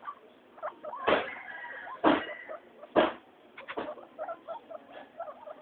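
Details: Three happy pet guinea pigs at floor time: three loud sharp squeals about a second apart, followed by softer scattered chirps and chatter.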